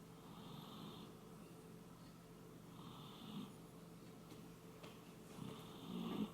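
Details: Shiba Inu Koume asleep indoors, giving steady old-man-like snores: soft, hissing breaths with a raspy edge, one roughly every two to three seconds, in a quiet room.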